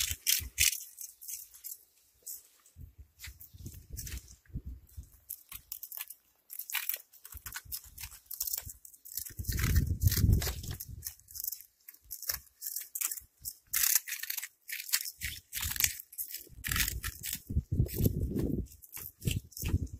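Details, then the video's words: Cat eating, producing a long run of sharp, crackling crunches at an uneven pace, with bursts of heavier chewing at intervals and short silent breaks between mouthfuls. "Eating crunch in cats 🐈🐈 صوت القرمشة عند اكل القطط"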